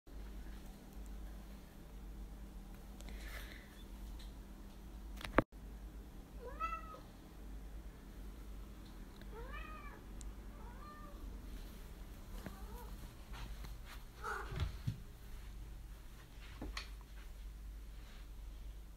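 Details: Domestic cat in the United States, out on a scavenger hunt indoors, gives about five short harmonic meows between roughly six and fifteen seconds, some rising then falling, over a low steady hum with faint household noises.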